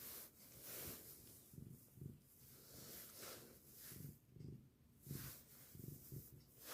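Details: Norwegian Forest Cat named Somi, an affectionate pet, recorded 6 February 2023; soft, low rhythmic pulses rise and fall roughly once a second like steady purring or breathing, quiet and close, with faint broadband hiss between.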